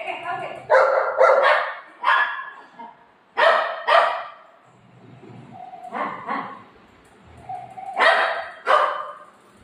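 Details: Golden Retriever Buzo, a pet dog, reacting after its ice cream is eaten by its owner: a series of short, sharp barks in pairs, with gaps of quiet between bursts, indoors.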